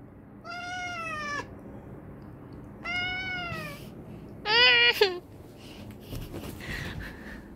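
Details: Pet cat yelling at its owner with three meows, the first two clear and gently falling, the third louder and harsher, followed by faint rustling and household background noise.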